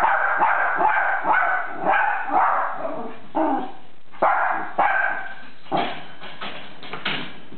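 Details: Schnoodle dog that dug at a fence gate, opened it and escaped; a run of short, yappy barks and yips, about two per second, broken by brief pauses.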